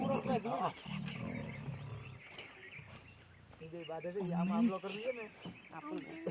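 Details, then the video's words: Pair of Asiatic lions fighting at Sasan Gir: rough snarling growls at the start, a quieter stretch, then rising harsh roaring snarls in quick irregular bursts, with music in the background. "Fighting Asiatic Lions"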